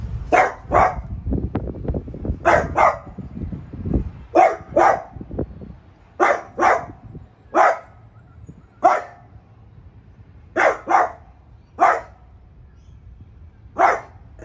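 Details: Piper, a pet French Bulldog, barks at a newly arrived artichoke plant in the household; loud clipped barks, often paired, come steadily through the stretch, with some low rumbling noise early on.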